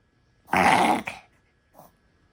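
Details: Papillon dog indoors during a reverse sneeze, a spell said to look distressing before the dog recovers: one harsh, snorting, rasping intake lasting about half a second, a short second snort right after, then a faint brief snuffle.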